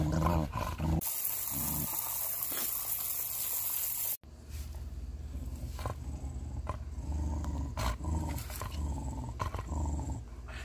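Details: A Pembroke Welsh Corgi makes deep, rumbling, growl-like grumbles in short irregular bursts during a summer shower, the rain's hiss strongest early then fading behind the dog.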